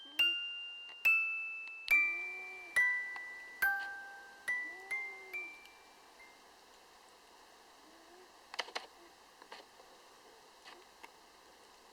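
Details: A descending glockenspiel-like chime melody rings out over a quiet room, then fades into near silence with a few faint clicks; no animal sound is heard.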